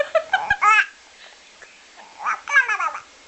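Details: Human baby babbling and giggling in a small indoor room, with short bursts of voiced, rising and falling sounds separated by pauses; no animal sound is heard.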